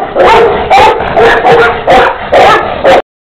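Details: Breeder's Tibetan Mastiffs of Xiang-He bloodline, a black female and a black-and-tan young dog, give five loud distorted barks in quick succession, then abrupt silence.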